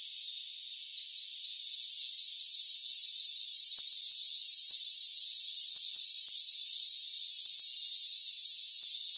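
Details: Crickets of a rainforest trilling in a thick, high, ringing wall of sound that swells in loudness after the opening seconds, then holds steady with fine pulsing bands and no lower sounds.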